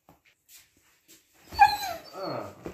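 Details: Siberian Husky puppy rummaging in an older husky's stash, then complaining; a drawn-out nasal whine that slides downward, followed by a wavering lower moan, after a few faint clicks.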